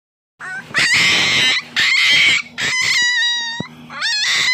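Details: Siberian Husky puppy named Daida, three weeks old, crying out while pooping with its mother nearby: loud, harsh, high squealing cries in bursts about a second long, the last ones clearer whistled wails that waver and drop.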